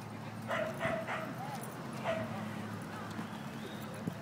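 A basenji gives short, tonal, yodel-like calls with a brief rising and falling warble.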